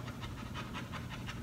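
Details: An 11-month-old English Cream Golden Retriever pants during off-leash obedience training while being told to heel. Quick, even breathy huffs repeat about six times a second, soft and close.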